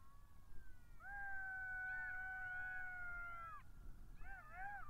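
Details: Several wild golden jackals howling at Matsalu, Estonia, caught by a migration camera on 23 October 2022 at 17:49: overlapping steady wailing tones held about two and a half seconds, wavering upward notes on top, then short bending yelps, over low rumbling background.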